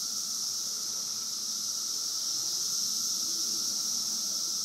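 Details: Periodical cicadas of a 17-year emergence surrounding listeners in Woodbridge, Virginia: a dense, unbroken high-pitched droning hiss that holds steady throughout, with a fainter lower whine beneath and no other clear sounds.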